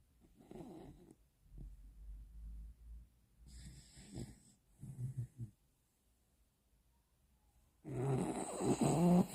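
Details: A Bichon Frise snoring indoors: low rumbling breaths come in short uneven bursts with brief silences between them, followed by a louder, rougher rustling burst near the end.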